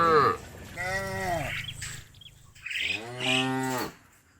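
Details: Two long, loud cow moos, each swelling then falling in pitch, from a herd said to be calling friends home to the barn, with faint background noise between them.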